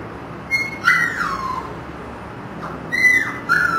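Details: Kennel-raised Siberian husky puppies, born 1 October 2009, utter two piercing whistled whimpers, each starting high and gliding down, separated by a brief lull.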